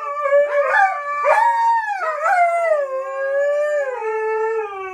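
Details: Coda and Diesel, two dogs, howl in a short burst: a couple of rising yelping onsets, then a sustained howl that slowly falls in pitch and fades.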